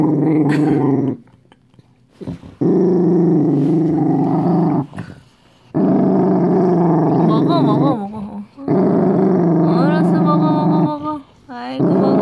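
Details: Growling from a Dachshund that is frightened while about to eat a homemade treat. Deep rolling rumbles come in bursts, and wavering higher whine-like notes are mixed in near the end of two growls.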